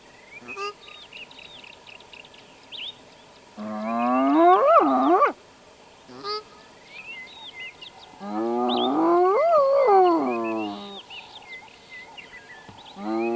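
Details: A spotted hyena (Crocuta crocuta) in Addo Elephant National Park gives two long, harmonic, rising-then-falling whoops, small birds chirping behind; a contact call, possibly telling the clan to move on, after which they headed to water.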